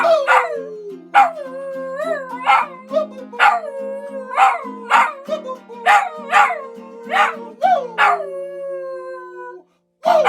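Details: Dog howling in the morning: a series of long, wavering howls that rise and fall, repeated every second or so, over steady ukulele-like music.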